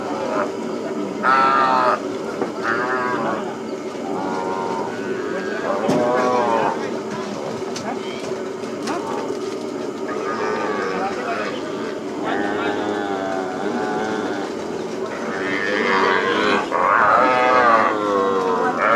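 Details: Repeated wavering bawls from calves during branding on the plains at Hato Las Carmelitas ranch, overlapping and irregular, rising in intensity toward the end, over constant background noise and occasional voices.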